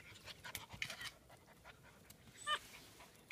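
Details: Seven-week-old German Shepherd puppies on their first time outside in Florida, exploring, playing in water and meeting chickens; faint, soft breathy panting bursts in quick succession, with a brief louder puff near the end and a person speaking nearby.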